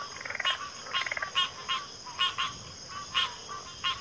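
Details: Frogs in chorus: a fast pulsed trill at the start followed by spaced harsh croaks, some doubled, against a steady high insect drone.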